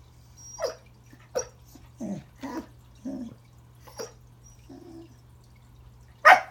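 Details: At Christmas, a corgi named Remington tries to say hello to a new toy under the tree: a run of short yips and low, throaty grumbling sounds, ending in one loud, bright bark.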